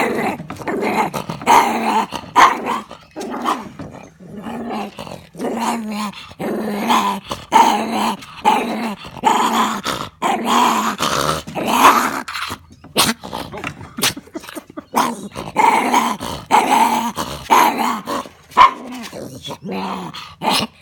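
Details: Irritated Maltese puppy being towelled dry after a quick pool swim, growling steadily in a long run of short rumbling bursts, many clipped and rhythmic with brief gaps, occasional higher yips mixed in, close up.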